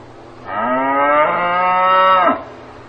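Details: A cow lowing on a farm: one drawn-out moo about two seconds long, richly harmonic, starting low and rising slightly, then ending abruptly. A faint steady low hum runs underneath.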